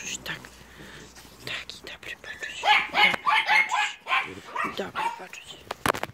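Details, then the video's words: American Staffordshire terrier and Staffordshire Bull Terrier puppies at Terierkowo, 30 July 2017, indoors; a burst of high, rapid yapping barks clusters mid-clip, with a person talking throughout. "american stafforfshire terrier's and staffordshire bull terrier's puppies"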